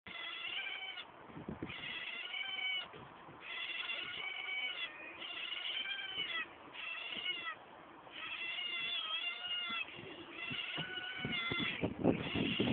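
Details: Several otters giving high, harmonic squealing cries in drawn-out bursts of about a second, repeated almost continuously with short gaps, some notes bending downward; faint background clatter throughout.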